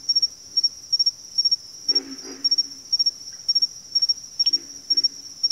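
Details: Backwater frog chorus with a pair of low, raspy croaks just after the two-second mark and fainter grunts near the close, nearly drowned by an insistent high insect trill pulsing in rapid triplets.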